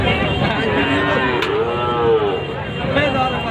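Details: Calves and cattle at the traditional Tebaria cattle market in Natore, Bangladesh, held every Sunday; a drawn-out moo with a rising then falling tone near the middle, over a dense crowd murmur of market noise.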